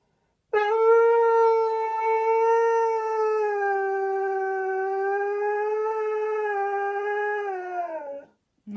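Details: Siberian Husky giving a long sustained howl lasting nearly eight seconds, a steady tone with rich harmonics, slightly falling at the end, followed by a brief second vocal onset.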